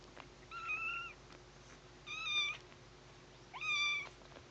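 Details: Foster kittens playing indoors, with a kitten named Teddy sneezing; three clear meows, each about half a second long and steady or slightly rising, come roughly every one and a half seconds over a quiet background.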